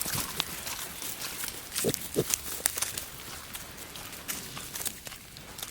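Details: Wild boar sow Žofia with her eight newborn piglets, her first litter, in their forest home; two short low grunts near the two-second mark amid crackling, rustling footsteps through leaf litter.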